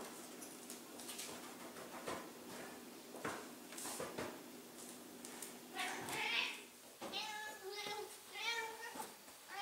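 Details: ['Aged 15-year-old female Ragdoll cat indoors, howling to ask for a wrestling game. Her drawn-out, wavering meow-howls arrive in a cluster late on, after rustling, handling noises and human voices.']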